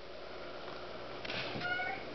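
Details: Hungry female pet kitten, very vocal when she wants food, gives a short harmonic meow in the second half, rising then level, while a woman indoors asks her whether she needs food.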